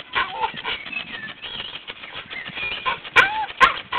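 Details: A Staffordshire Bull Terrier cries in wavering, high, almost chimp- or monkey-like whines, wanting to reach another dog.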